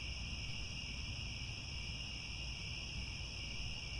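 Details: Crickets chirping at sunset in the ancient grasslands of Angkor Wat, Cambodia, a continuous multi-layered high trill without breaks, accompanied by a steady low rumbling noise.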